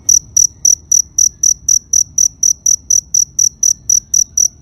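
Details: Rapid, evenly spaced shrill chirps from a cricket, roughly seventeen in under five seconds, each a brief buzzy pulse over a quiet low background hum.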